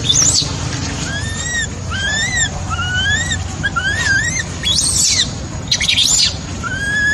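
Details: Crying of a baby macaque left by its mother: repeated short whistled wails that rise then dip, roughly one per second, with a few harsh squealing bursts between them and a low droning hum beneath.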